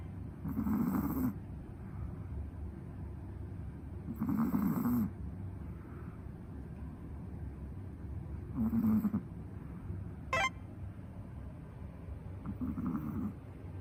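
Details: A pet dog snores as loudly as a person, its owner says, in raspy, throaty snores repeated about every four seconds, with a sharp click near the end and quiet room noise.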